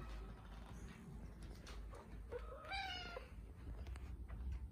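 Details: Hungry cat at feeding time giving a single short, bright meow partway through, over a steady low rumble and some clatter.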